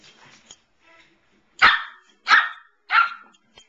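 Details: Samoyed named Evelyn barking while standing up to another dog, Pearl; three loud, sharp barks in quick succession about every two-thirds of a second after soft quiet sounds, indoors.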